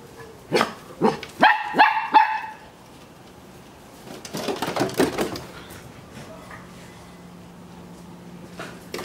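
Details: Two Shetland Sheepdogs playing excitedly in their new garden: a quick run of about five sharp, high barks, a pause, then another cluster of rapid barks, followed by quieter moments with a low steady hum.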